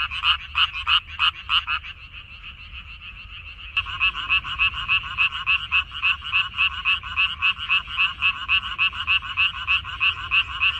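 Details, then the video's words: Frogs in a minari field, May 2021: loud pulsed croaks at first, a quieter stretch of about two seconds, then a steady run of regular rapid croaks from the chorus. "고향 생각 나게 해주는 개구리 소리, 미나리밭의 그놈들, Croaks of Frogs, Sounds of frogs, Song of frogs"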